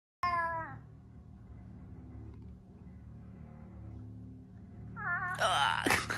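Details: A pet cat trying to wake its owner in the morning gives a short falling meow, then after a low hum another loud, rough meow with rustling and a person's voice.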